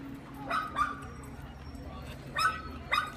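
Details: Great Dane with dog aggression, in training in Northern Virginia. Four sharp barks in two pairs, one near the start and one near the end, separated by a quiet stretch with a low steady hum underneath.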